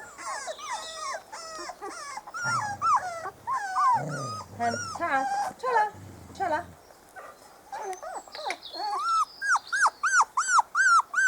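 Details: Spanish Water Dog puppies, a four-week-old litter on a first garden visit, whimpering in bursts of arched cries, broken midway by a low human voice, then quicker rapid whines toward the end.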